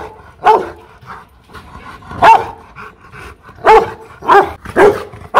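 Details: Angry Rottweiler at a Vietnamese kennel in Hanoi giving loud, deep single barks spaced irregularly, about five strong barks with faint softer ones between them over five seconds.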